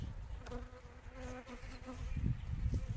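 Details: A swarm of honey bees being installed in a hive gives a low, continuous hum that rises and falls as individual wingbeat tones drift past. Thumps and handling noise from the hive work break in near the end.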